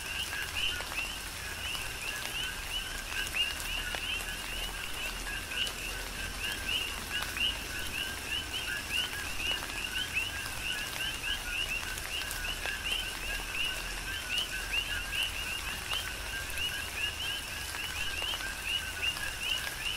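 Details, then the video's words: Coqui frogs on the Big Island of Hawaii calling in falling tropical rain; continuous overlapping two-tone notes, each a steady low pulse and a rising chirp, with rain patter and sharp drip ticks underneath. "Tropical Rain & Coqui"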